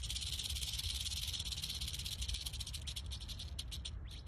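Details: Rattlesnake rattling: a dense, dry, hissing buzz held steadily for several seconds, breaking into separate rapid pulses near the end, with low background rumble.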